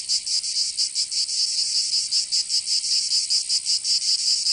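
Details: Cicadas in Provence, southern France, during summer: a high, sizzling buzz broken into slightly uneven pulses, about two or three per second, over a constant shrill background hum.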